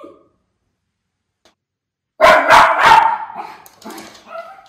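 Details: Miniature Schnauzer barking while watching for crows in Aroostook County, Maine, in late August: after a silent pause, a burst of three sharp, loud barks in quick succession, followed by softer grumbling yips.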